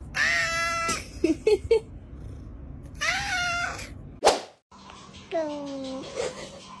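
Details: Cats meow in a compilation of funny and weird cat sounds: a long nasal meow, short chirps, another drawn-out meow, a sharp click, then a falling wail, with faint background hum.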